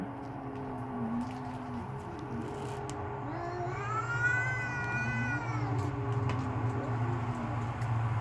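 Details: Two cats in a backyard, furious and ready to fight: low wavering growled moans run throughout while one cat lifts into a high, sustained, arching wail for about two seconds before sinking back to growls.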